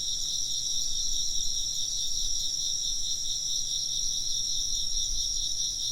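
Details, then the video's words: Steady insect chorus of bright, high pulsing trills stacked in bands, continuing without pause, with faint low rumbling below. "風鈴の音と虫の声 - wind chimes and chirping insects"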